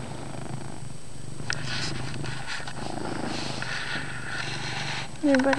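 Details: Loud pet cat purr indoors, a continuous low rumble under soft rustles, with a brief human voice breaking in at the end.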